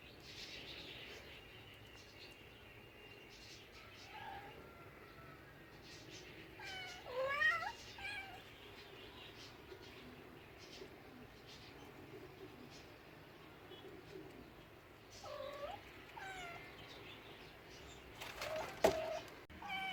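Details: Domestic cats meowing now and then: a wavering mew around seven seconds, fainter mews near four and fifteen seconds, and a sharp clatter near nineteen seconds, over steady background noise.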